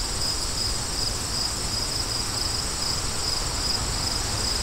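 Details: High, thin cricket chirps repeat evenly in quick pulses, standing out clearly above a softer bed of wind noise.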